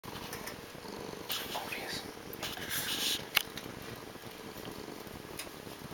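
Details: Pet cat purring indoors: a steady, low rumbling purr that runs throughout, with brief louder rustling and soft voice-like sounds in the middle.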